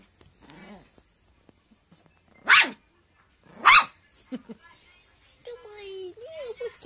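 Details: A Teacup Poodle begs for its toy to be thrown, giving two loud, abrupt barks about a second apart, with quieter whining tones and human speech around them.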